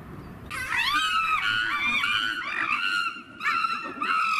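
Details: Chimpanzees at Safaripark Beekse Bergen, sheltering from rain and growing excited as lunch is served inside; after a quiet start, a burst of high, shrill screams with rising and falling harmonics, repeated in waves, dipping briefly before resuming.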